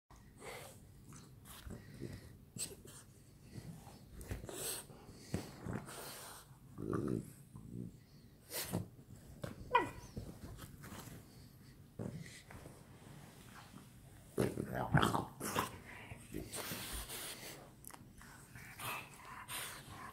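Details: French Bulldogs playing together at night indoors, giving irregular snorts, wheezy breaths and short rough bursts scattered through the clip, some louder grunting spurts near the middle and end.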